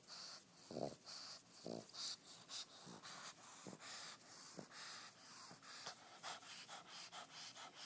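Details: Lazy, fat pet pug sleeping and snoring: short raspy snorts come at uneven intervals over a steady breathy hiss, with a few louder bursts near the start.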